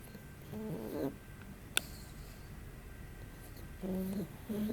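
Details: A sleeping pug, eyes rolled back to show the whites, snores modestly: soft low droning breaths with a faint whistling tone, in short bursts near the start and again toward the end, plus a single sharp click midway.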